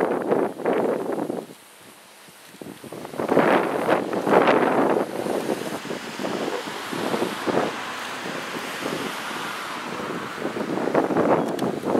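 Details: Gusty wind buffets the microphone in repeated surges, broken by a short quiet stretch near the start.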